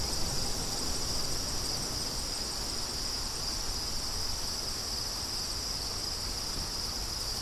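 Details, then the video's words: Crickets sing a bright, dense high trill with faint pulsing, accompanied by a light, steady breeze. "Crickets & Wind"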